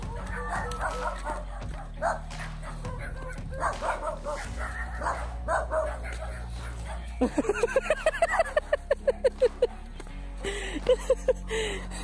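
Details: Belgian Malinois farm guard dog in the countryside, barking in a rapid run of sharp repeated barks, then a few more after a pause, over steady music and earlier background voices.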